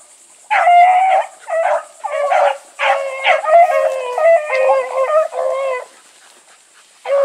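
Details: Running Bluetick Coonhounds joined by Sassy: drawn-out, overlapping howling bays that waver in pitch and run together for several seconds before falling silent, then a fresh bay starts at the end.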